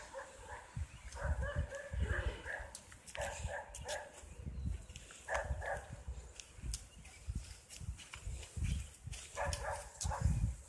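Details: Dog barking in a park during a walk: short bursts of barks, several times across the recording, heard at some distance over strong low wind rumble and handling noise.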